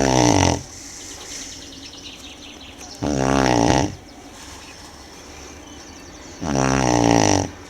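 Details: Tibetan Mastiff (do-khyi) named Manjurhi sleeping, giving three long rasping snores spaced about three seconds apart, each a harsh buzzy breath lasting under a second, with quiet low hum between.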